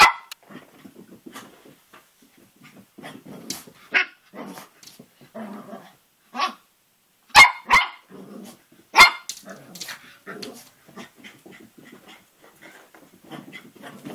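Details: A Cavalier King Charles Spaniel puppy about three and a half months old growls in play at his reflection in a mirror, mixing rough low rumbles with short, sharp yaps.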